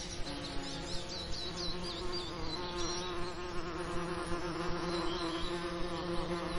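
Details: Bees buzzing over lavender in a summer setting: a steady droning hum with a low fundamental and stacked harmonics, its pitch wavering slightly, with faint high bird chirps in the background.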